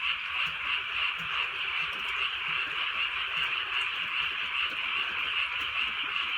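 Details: Drizzling rural night in Korea with a frog chorus: brighter croaks stand out in a quick, fairly regular rhythm, several per second, on top of an unbroken wall of calling frogs and gentle rain.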